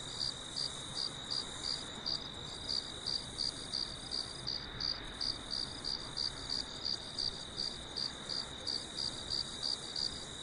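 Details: Crickets singing at night on a farm under a full moon, with dew: a steady high-pitched chirping pulse repeated about three times per second, with a continuous high ringing tone beneath and soft broadband background hiss.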